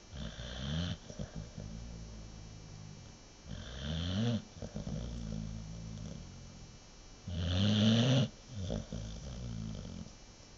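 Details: Sleeping American Bulldog Nova snores heavily, with three deep, vibrating inhalations spaced roughly every three and a half seconds and quieter wheezy exhales between them.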